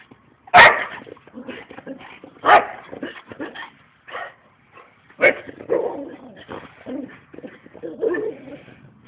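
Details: Two dogs, Bourbon and Viggo, boxing together outside in play rather than a real fight: loud, rough growling barks and yips come in bursts, with short snarls between sharp peaks at about two-second gaps.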